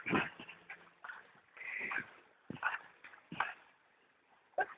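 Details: Dogs Brad and Olivia "Olly" playing at B&B Torricella on 19 June 2011, around 16:18; short rough grunting and whimpering bursts, with a drawn-out nasal whine near two seconds, separated by quiet pauses.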